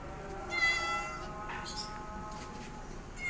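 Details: A kitten, learning to walk under its mother cat's guidance, gives a loud, drawn-out rising then falling meow, followed by fainter mews over a steady background hum.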